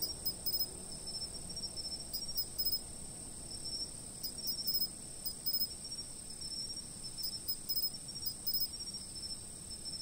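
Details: Insect chirping captured on a fixed camera, meant as a sleep aid: constant high-pitched whine with scattered bursts of rapid pulses throughout ten seconds, and faint low rumble beneath.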